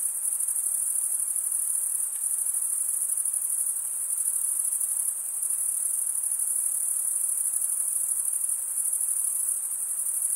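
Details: Crickets stridulating, the males running one wing along the toothed vein of the other, give a constant shrill high-pitched ringing with fine fast pulses and a quiet background hiss.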